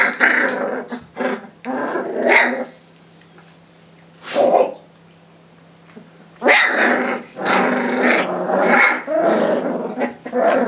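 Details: Three-week-old Rhodesian Ridgeback puppies at the Makanga kennel in Hungary play together and growl at each other: bursts of rough, noisy growling broken by short pauses, with a quieter stretch midway before the tussle grows loud again.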